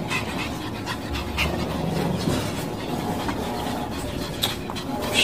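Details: Jealous pet Shih Tzu in a home shared with chihuahuas, another Shih Tzu, a husky and a local dog, panting in quick breathy rasps with a few sharp scratchy clicks over a steady low household hum.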